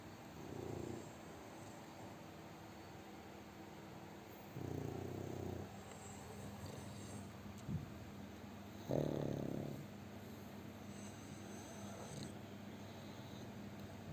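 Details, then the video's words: A chubby pug dog snoring heavily while sleeping. Deep, rattling snore bursts come about every four seconds, each lasting roughly a second, separated by quiet breathing against a faint indoor hum. "น้องหมาปั๊กอ้วนนอนกรนเสียงดังหนักมาก 😴 Snoring"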